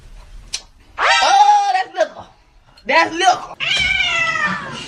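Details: Domestic cat meowing in a short funny-cat compilation excerpt: a long, drawn-out harmonic meow that rises then falls, followed by two more strained, wavering meows close together, with faint voices and small knocks between calls.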